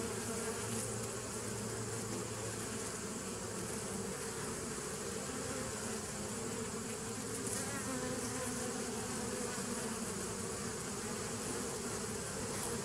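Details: Continuous bee buzzing from 27 September 2018: a thick, even drone of many wings, with a slightly stronger low tone in the first few seconds and a constant airy hiss above.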